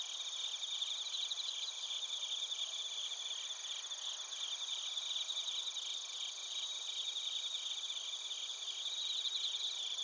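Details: Chorus of bell crickets and crickets in Narita, Chiba Prefecture, Japan, captured on a TASCAM Portacapture X8: continuous shrill ringing with rapid pulsed chirps swelling near the start and end, over an unbroken high insect drone.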